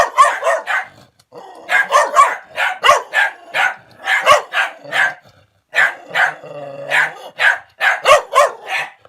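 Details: Defensive dog barking at an approaching person as it retreats: dense volleys of harsh, rasping barks, one short pause after the first second and another near six seconds, low rumbles audible in the gaps.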